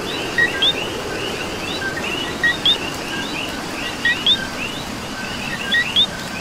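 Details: In Puerto Rico rain, a coqui calls clearly in pairs of notes: a short low co followed by a bright rising qui, four distinct calls over a soft wash of more distant coquis and rain.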